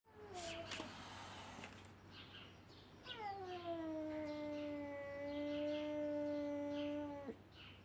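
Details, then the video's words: Siamese kitten pestering an older ginger cat, giving a long drawn-out meow: a steady, slightly falling tone held for about four seconds after shorter cries, with low background hum. "Tiny Siam Kitty annoying Ginger King weird sounds included"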